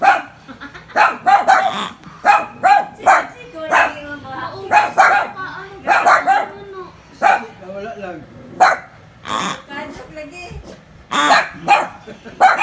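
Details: Poodles scared of a pig bark in a rapid, irregular volley of high, snappy yaps, some doubled, with short pauses and human speech mixed in between.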